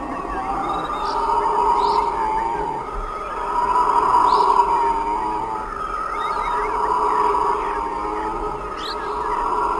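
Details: Several howler monkeys roar together in a deep, sustained, droning chorus that swells and fades in long waves every few seconds, with faint short bird chirps above.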